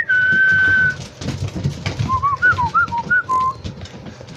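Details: Seven-week-old Labrador Retriever puppies playing together in an indoor playroom, giving thin, whistled whines: one long steady tone, then a run of short wavering, rising and falling squeaks. Soft room noise and shuffling underneath.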